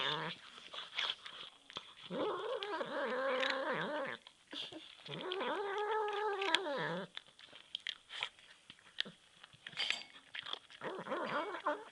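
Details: A hungry male pet cat makes funny noises: two long, wavering moaning wails of about two seconds each, broken up by clicks, smacking and crunchy sounds, and a third shorter wail near the end.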